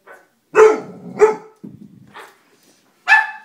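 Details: Dobermann barking in a funny compilation: loud harsh barks in short bursts, two strong ones close together, a quieter rough bark, then another sharp bark after a pause.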